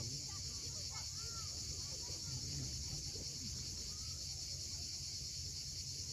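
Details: On Crimea's steep Cape Fiolent shoreline at sunset, cicadas keep up a constant high-pitched sizzling drone while surf murmurs below and scattered birds add brief whistled, rising and falling notes.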